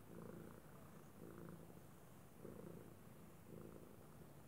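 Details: Domestic cat purring indoors, likened to the sound of a kettle: a soft, low, steady rumble that swells and eases in regular breathing cycles about once a second.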